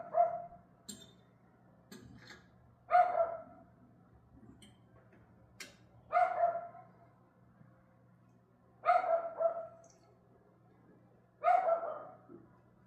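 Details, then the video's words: Recorded at 6:44 pm on May 18, a dog repeats a strong, rough bark about every three seconds, five barks in all, with soft clicks and a low hum between. "Dog Barking"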